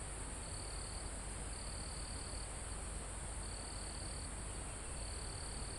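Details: Crickets in a calm mountain forest, recorded live: even trilled bursts of roughly one second return every second or so above a constant high insect buzz, with gentle wind in the leaves as a low background wash.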